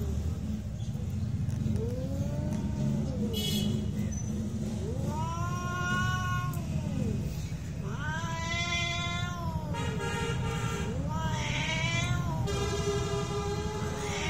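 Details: Fighting cats caterwaul in a real confrontation: a string of arched, moaning howls about every two seconds, growing louder and more strained toward the end, with a steady low hum underneath.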